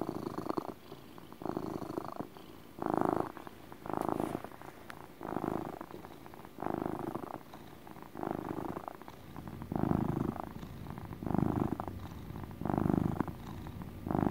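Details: Contented pet cat purring in a steady motor purr; low rumbling swells come roughly every 1.3 seconds, alternating louder and softer phases, with a faint background hiss.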